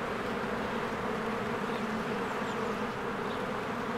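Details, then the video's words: Many bees flying around their hive in spring produce a steady, dense buzz with deep humming tones, and a faint bird chirp rises briefly above the drone. "1 Hour of a Beehive ASMR"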